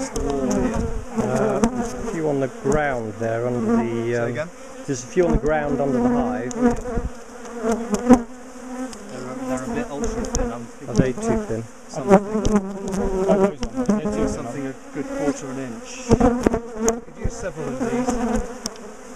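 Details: Large bee colony in a top bar hive, being taken apart and relocated after repeatedly ambushing its owners; continuous loud buzzing of many bees with swooping pitch changes and frequent clattering knocks from handling the hive.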